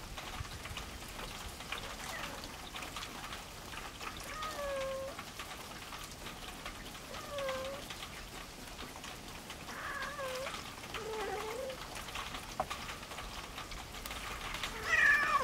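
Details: Farm cats meeting for the first time: Louie, the resident male, and a small black stray female. Fainter, scattered meows dip and curl under constant patter-like crackle, with a sharper cry at the end.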